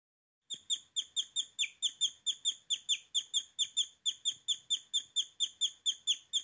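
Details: Guinea pig (Cavia porcellus), squeal.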